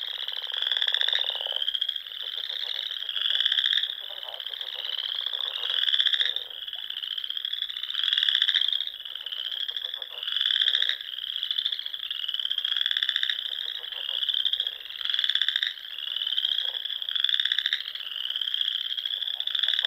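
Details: Spring frogs singing at dusk beside ponds in the Nebraska Sandhills: loud, regularly pulsing high trills repeated about every second or two, with lower croaking bursts between them and a brief low rumble at the start.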